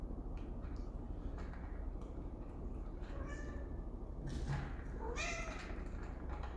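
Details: Pet cats that seem to prefer a cardboard box to their own bed, with two short, thin meows standing out midway and near the end over a steady low rumbling background.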